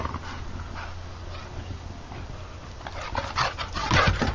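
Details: An American Bulldog play fighting: soft breathing at first, then sudden snorting grumbles and a short whine in the last second and a half, over a low steady hum.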